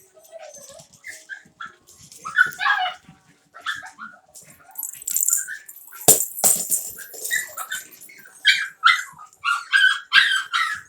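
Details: Havanese puppies playing together in an office, giving scattered high, thin yips and squeaky barks in short irregular bursts, with brief rustling, a few sharp knocks near the middle, and the pace quickening toward the end.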